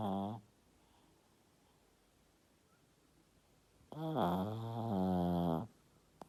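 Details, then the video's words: Yorkshire Terrier asleep in a small room, giving a tonal, wavering snore nearly two seconds long after the tail of an earlier one, with quiet breathing between. "Йоркширский терьер-Храпит"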